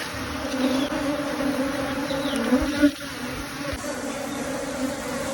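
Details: Honey bee swarm being caught, a steady droning hum with a low fundamental and an overtone band above it, continuous throughout with a brief louder swell near the middle; people talk faintly in the background.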